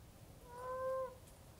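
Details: Moaning frog (Heleioporus eyrei) of South West Western Australia, calling during breeding as the wet season starts, dug underground in a garden bed. A single smooth, owl-like hollow moan of about half a second, steady in pitch, over quiet background.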